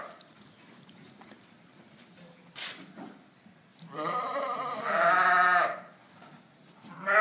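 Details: South African Dorper sheep on a ranch: after quiet rustling, one long, loud, shaky bleat swells and fades, and another call begins at the end.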